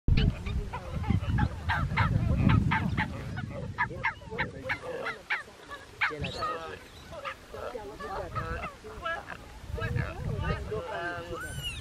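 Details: Geladas in Ethiopia's Simien Mountains National Park give a rapid run of nasal, honking calls over a low rumble of wind, as a male follows a foraging female during the mating season.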